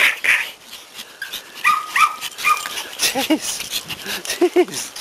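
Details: Several Pomeranians greet their owner returning from vacation in a happy reunion. High, thin whines and short yips rise and fall, with a woman's voice talking low underneath in the second half.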